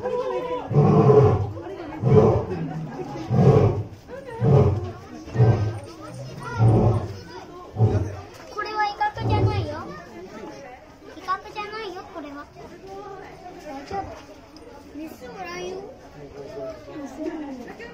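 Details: Seram, a male white lion born November 2016, at Okinawa Zoo & Museum during an October 2020 autumn night event, gives a series of deep, booming grunts about a second apart, not a threat, then people chatter nearby.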